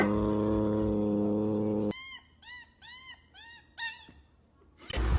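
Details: A steady musical tone gives way to a kitten's series of five short, arched, high mews, each rising then falling, spaced about half a second apart, with a brief noisy burst at the end.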